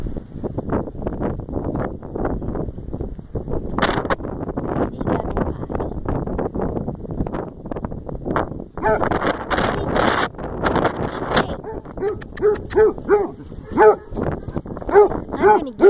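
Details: Hazel, a pet basset hound, excited as her owner comes to see her indoors: loud, honking, harmonic howls and yelps, clustered in the second half and coming roughly every half second near the end. The owner talks playfully over the first part.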